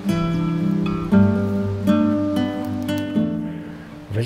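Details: Acoustic guitar music with sustained strummed chords changing every second or so; no animal calls are heard.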